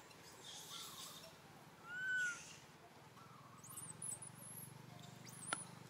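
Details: Little monkey crying for its mother, begging for milk: faint thin whimpers, then one loud rising-and-falling wail, over a low steady hum with scattered high chirps and clicks.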